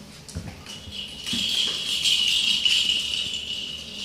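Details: Maine Coon kittens indoors: after soft bumps and rustling, a thin, high, drawn-out cry holds an almost steady pitch for nearly three seconds, slightly wavering, ending with a brief low knock.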